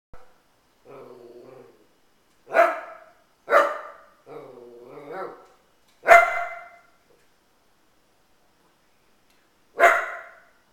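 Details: Dog growling in low, rumbling bursts of about a second, alternating with sharp, loud barks spaced a few seconds apart, with quiet pauses between.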